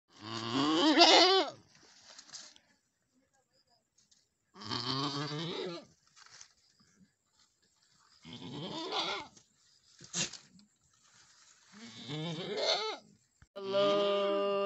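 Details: Boer goats on a farm in Nepal where a doe has given birth to her first kid, a male; loud, wavering bleats with rich harmonics come in separate bursts about every three to four seconds, with quiet gaps between.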